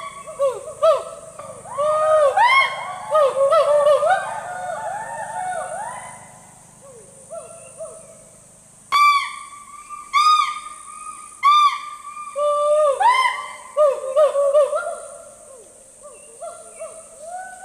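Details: Hoolock gibbons calling in the rainforest, loud whooping rising-and-falling notes repeated in rapid overlapping bursts, pausing and then resuming in series.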